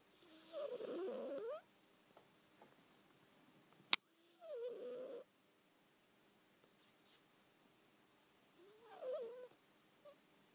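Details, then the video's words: Betty the cat makes strange noises in her sleep: three short, rough, warbling bursts about four seconds apart, nasal and squeaky, with a sharp click between the first two and near silence around them. "Silly Betty snoring"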